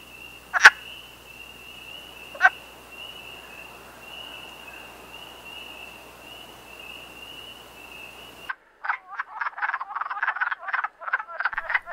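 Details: Wood frogs in the breeding season, males calling females from the water: two isolated clucks against a constant high whine, then a dense run of rapid, rasping clucking croaks filling the last few seconds.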